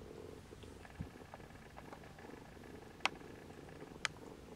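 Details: Steady low purring from a Siamese mother cat and her kittens trying to nap, the kittens later nursing; two sharp clicks stand out briefly against the quiet indoor background.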